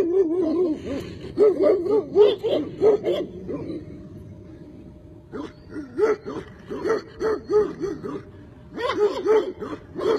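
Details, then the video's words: Tibetan Mastiff barking in a long run of quick, repeated barks, pausing briefly in the middle before bursting into another rapid series. "Tibetan mastiff"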